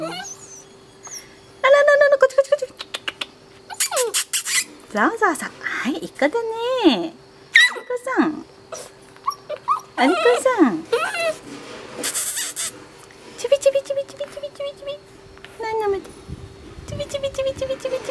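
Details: Black male Labrador Retriever puppy, 46 days old, born 31 August 2015, at a breeder in Ibaraki, Japan, recorded 16 October; high, wavering whimpers that rise and fall in pitch come in repeated bursts, with short yelps and some clatter.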